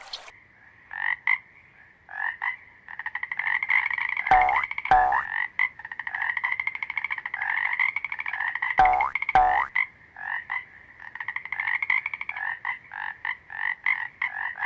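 A toad calls in rapid, pulsing trills, repeated in bursts with short gaps between them.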